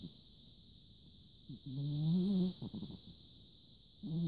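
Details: Sleeping large orange cat, 14 December 2017; a drawn-out low, raspy snore rises gently, followed by a few short stuttering breaths and the start of another snore, with a constant high-pitched hum behind.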